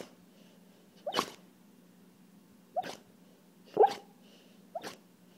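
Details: Pet dog asleep and dreaming, making odd sounds: four short muffled yelps or whimpers, each with a sneeze-like puff of breath, spaced about a second apart over a low steady hum.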